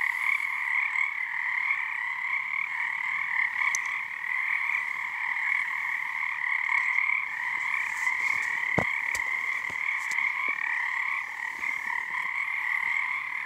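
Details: Many frogs calling together at Frog Korner on Harstine Island, Washington, under a full snow moon early in their season; unbroken pulsing two-toned trill throughout, with a few sharp clicks and knocks partway through.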